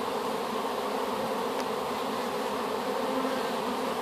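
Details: Honey bees just placed in a hive after capture as a swarm from an apple tree; a thick, steady drone with a faint tick midway.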